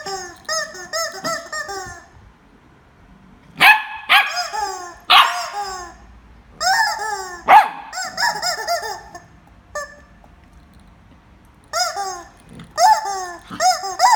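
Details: Jarvid the corgi barks while fighting with a chicken: sharp broadband barks at irregular intervals, mixed with rapid arched harmonic yelping notes, with quiet gaps between bursts.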